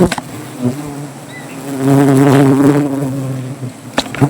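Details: Agitated honey bees swarm as their wild comb is cut for honey beneath a tree in Gazipur. A low buzzing drone swells into a loud, dense, wavering roar midway, then fades back amid clicks.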